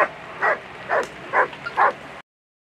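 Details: German Shepherd at a world championship agility competition: four evenly spaced barks, roughly one every half second, each short and strong, over steady background noise, ending abruptly.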